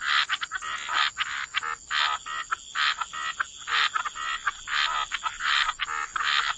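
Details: Frogs croaking by the waterside in a wetland chorus, dense overlapping rasping croaks in rapid bursts, several callers at once, a steady high insect-like hum running underneath throughout.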